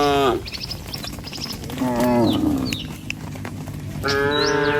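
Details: Tame cattle walking along a rice-field path toward pasture let out brief moos at the start, middle and end, separated by quieter gaps with thin bird whistles.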